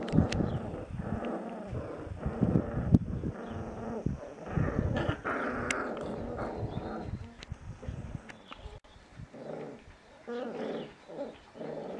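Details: Bebe, a Bouvier des Flandres mother with her eight puppies in a yard, gives low rumbling growls in uneven pulses through the first half, with sharp clicks and knocks scattered throughout and quieter rumbling toward the end.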